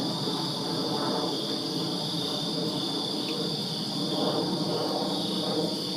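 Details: Summer-night crickets in a Virginia backyard keep up an unbroken high trill, a bright continuous buzz, while a broader low background hum swells and fades gently across the recording.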